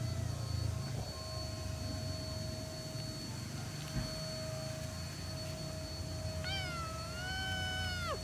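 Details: Feral black cat being fed, giving a single drawn-out meow late on: steady, with stacked harmonics, then sliding downward at the end. A constant tonal hum and low rumble run beneath throughout.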